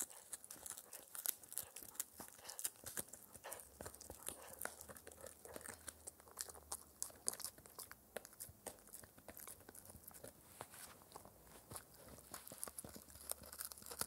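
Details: Shetland Sheepdog puppy Spencer, four months old, working on a raw air-dried ear as his daily dental treat; quick crinkly crunches and tearing bites follow one another steadily in a quiet room.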